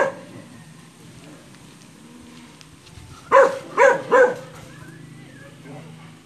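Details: Brando, a Belgian Malinois, playing with an aspin (Philippine native dog). After three seconds of low murmuring and quiet, he lets out three quick, loud barks about 0.4 seconds apart, then things go quiet again.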